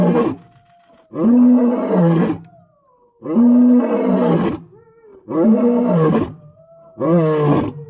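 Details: A white lion roars: heavy, rasping bellows repeat roughly every two seconds, with faint whining intakes of breath audible in the short gaps between them.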